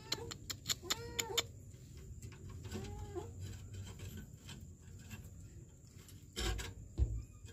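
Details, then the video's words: Kitten trapped in a sewer in Kenya, December 2023: a short run of faint meows near the start and one brief meow around the third second, amid ticking clicks, low rumble and a few thumps. "KITTEN trapped in the sewer"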